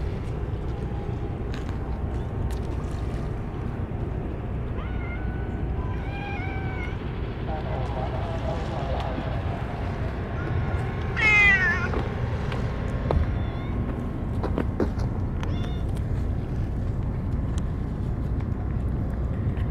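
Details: Stray cats, more gathered than usual, being hand-fed only churu treats after the food and plates were forgotten; several short meows around the middle, then a loud rising, harmonic-rich meow, over a constant low rumbling background.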